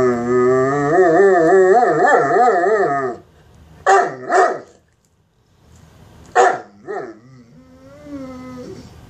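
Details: Mastiff begging for bacon, a wavering, warbling howl for three seconds, then short yipping barks in pairs and a rising whine, indoors.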